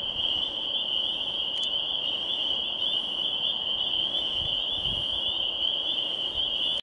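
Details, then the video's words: Spring peepers in loud chorus at Swatara State Park, their high piping notes merging into one shrill, unbroken ringing. "Spring Peepers"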